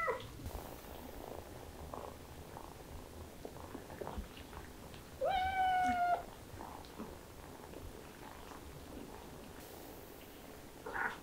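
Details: Kittens excited by the smell of chicken; one clear drawn-out meow with rich harmonics lasting about a second midway, surrounded by quiet shuffling and soft indoor background.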